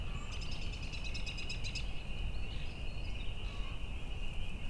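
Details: A distant chorus of spring peepers (Pseudacris crucifer) calls in spring from a swamp across the road on a farm in Lansing, New York, a steady, high, shimmering ring over heavy low wind rumble.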